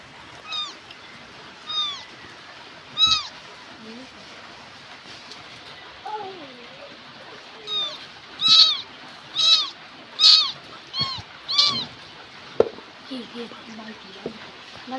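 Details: Cat in Bangladesh giving a run of thin, high, arched meows, roughly a dozen over fifteen seconds, several coming in quick pairs and growing louder midway, with faint voices and a few sharp knocks around them.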